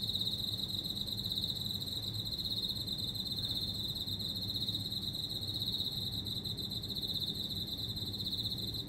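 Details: Insect calling loudly from houseplants kept indoors at home, a steady high-pitched continuous trill held without a break throughout, with a faint low hum underneath.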